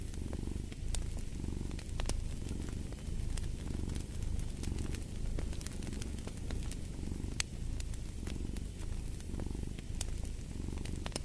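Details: Domestic cat purring beside a crackling fireplace: a steady low rumbling purr that swells and fades in breath cycles about once a second, with sharp pops and crackles of burning wood throughout.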